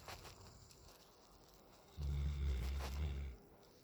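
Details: Raiden, a 9-month-old Alaskan Malamute, asleep on a back patio: after a quiet start, one deep, rumbling snore swells for about a second and a half, then fades back to soft outdoor background.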